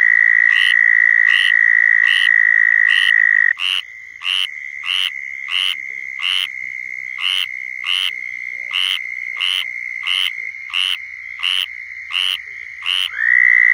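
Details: Southern toads giving mating calls in Florida: a loud steady trill stops, then another toad's trill continues while sharp chirps from another caller repeat about every 0.7 seconds, before the loud trill resumes.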